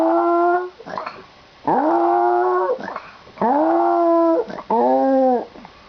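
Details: Household dog producing a weird, drawn-out noise before its owner goes to school; repeated steady howls of about a second, interspersed with brief breathy snorts, the last note slightly wavering.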